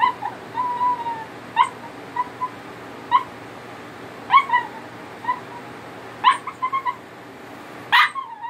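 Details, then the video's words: Italian Greyhound singing, wanting attention: short high whimpers and yelps every second or so, a few drawn-out whines bending downward, ending with a louder sharp yip, steady low hum behind. "Italian Greyhound singing to me she wants Attention."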